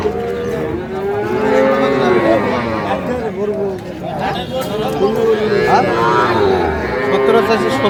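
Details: Young Sahiwal bull and heifer calves for sale at a Pabna market, 12/5/25; steady low moos with arching pitch, one every second or two, overlapping with a busy background of traders talking.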